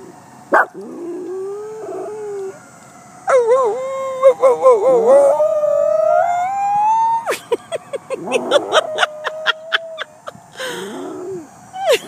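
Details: A female West Highland White Terrier, being taught by her owner to howl at sirens, howls in wavering, rising and falling tones in answer to a siren.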